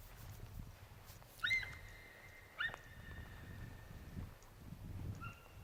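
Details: Deer giving two high, whistle-like cries about a second apart, each with a short rising start and a level tail, followed by a fainter short tone. Low background rumble throughout.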